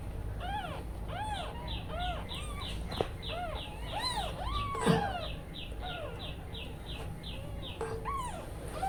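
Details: Tiny newborn kittens crying steadily with the mother cat away, a rapid string of high, bent mews overlapping with fuller, lower cries from several babies, a brief clatter partway through and a faint background hum.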